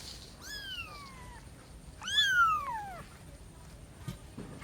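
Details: Cat from a family of a mother and three kittens meowing twice: a soft drawn-out downward-sliding meow, then a louder, more strident one that bends down sharply at its end, with light background hiss.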